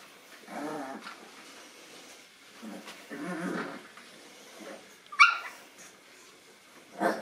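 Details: Nine-week-old Boston Terrier puppies meeting a new toy give soft, throaty growls and whines, with one sharp, high squeak.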